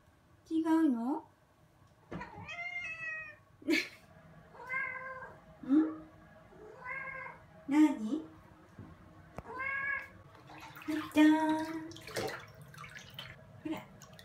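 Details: Bath-loving rescued bicolor female cat talking to its owner at bath time indoors: a string of a dozen short, wavering meows, some chirped and some drawn out, close together, with the owner's soft voice between.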